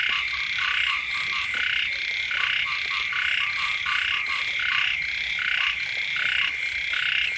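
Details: Chorus of frogs croaking next to a house at the start of the rainy season: steady, overlapping rasping bursts stacked in layers, close to eighty per minute, continuing without a break.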